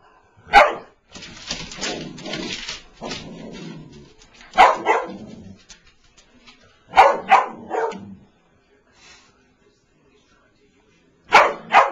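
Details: Boston Terrier kept as a pet, unhappy with a new fluffy toy mouse, lets out a single bark, a pair of barks, a rapid burst of three, then a final double bark after a pause, with scuffling noise early on.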